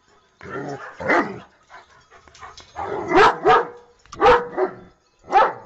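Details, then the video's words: Dog producing harsh, gruff barks in pairs with a low growly edge, over a steady background noise. "Most funny dog barking videos compilation"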